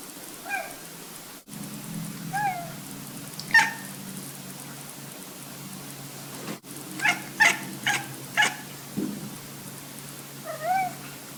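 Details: Domestic cat chirping, chattering and tweeting, described as hunting instinct sounds. Several wavering melodic tweets alternate with sharp clicking chatter bursts clustered near the middle. A soft tweet comes at the end, and a low hum runs underneath.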